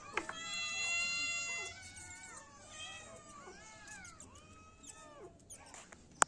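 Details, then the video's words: Kittens mewing, starting with a long steady high cry, then many short arched mews overlapping at a quick irregular pace, with a few sharp clicks and a sudden loud tap at the end. "Cat meowing sound effect] kitten meowing sound effect"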